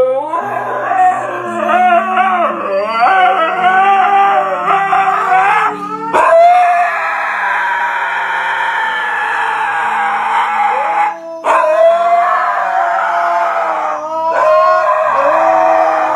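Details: Several Siberian Huskies loudly yelling at a calm Golden Retriever: wavering, sliding howls and yodelling cries that rise and fall, overlapping almost continuously with brief gaps near six, eleven and fourteen seconds, over steady background music.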